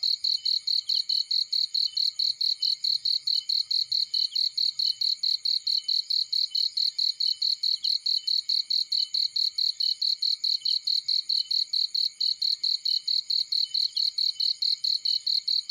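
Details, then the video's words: A cricket chirps in a field with a steady, relentless rhythm of sharp high-pitched pulses, several per second, over faint low crackling. "Warm Relaxing Fireplace In Field || Burning with Cricket Sounds"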